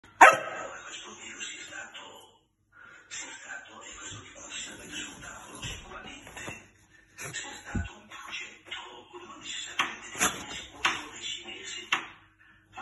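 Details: A dachshund gives short, sharp barks, demanding a treat, which he was then given, with people talking in the background.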